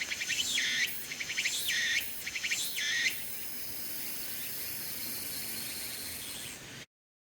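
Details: Tsukutsuku-bōshi cicada in a persimmon tree during late summer to early autumn; a few closing buzzy pulsed phrases for about three seconds, then a flat continuous high drone that fades out before silence.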